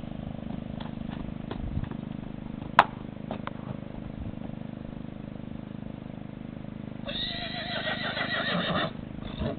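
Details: Dutch Harness/Percheron colt with four white socks, offered for sale; a whinny with stacked harmonics rises out of steady low background noise late in the recording, lasting nearly two seconds, after a single sharp knock.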